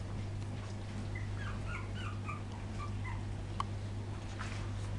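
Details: Soft, brief whimpers from poodle puppies filmed in 2012, coming in a loose cluster of short high squeaks, partly buried under a loud, steady low hum.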